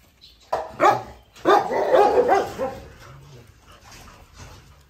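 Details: Pregnant female Rottweiler, 46 days into pregnancy, kept as a pet. A few loud, harsh barks come in quick bursts over the first two and a half seconds, then fade to quieter rustling.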